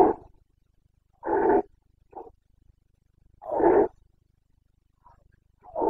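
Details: During the September 2022 breeding season in Bucovina, a Carpathian stag gives loud, rough, drawn-out roars roughly every two and a half seconds, each followed by a brief softer grunt.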